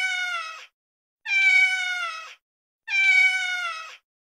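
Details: Male domestic cat in heat giving mating calls: three long, steady, high-pitched meows, each under a second, separated by short silences. Tone is clear and harmonic and holds level throughout, with no other sounds.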